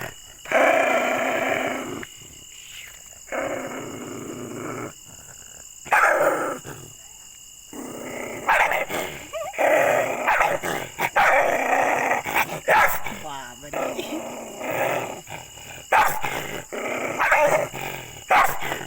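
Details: Angry, aggressive pet dog barking loudly: harsh, noisy barks and growly bursts come in irregular runs across nearly twenty seconds, separated by short quiet gaps, over a steady high-pitched background hum.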